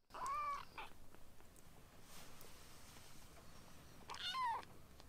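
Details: Rescue kittens Ashiro and Akuro, in foster care and trying weaning food, make a thin arched mew at the start and another high falling mew near the end, with quiet room noise between.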